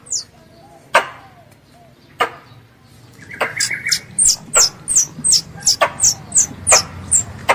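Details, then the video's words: Squirrel calling its mother, regarded as a pest: a few scattered sharp clicks and a brief buzzy burst open the recording, then a quick series of high, piercing slurred chirps about three per second takes over. "THE SOUND OF A SQUIRREL CALLING ITS MOTHER"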